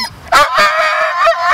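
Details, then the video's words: Ninja, a pet dog, throwing a tantrum at the beach when told it is time to leave after over 40 minutes of fetch. A sharp onset, then one long, high, harmonic whining cry held to the end, with wavering pitch and a person urging him to come. "Hilarious Dog Throws Tantrum at Beach"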